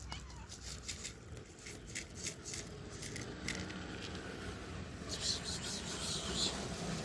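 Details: Stray cats living on the streets in Morocco, being fed. Their meows rise over a steady background of rustling and hiss, with voices and some chirping sounds nearby.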